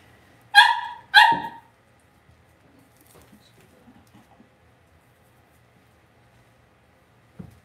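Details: Two quick, high, harmonic yips about half a second apart from Cavalier King Charles Spaniel puppies in a home puppy pen, followed by quiet shuffling and a soft thump at the end.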